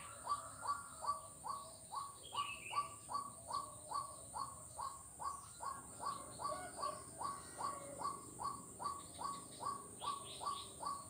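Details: Steady frog chorus of sharp, evenly spaced notes, close to two and a half per second, from Kuala Kapuas, Central Kalimantan, Indonesia, on 4 November 2021; faint bird twitters and a continuous shrill insect background.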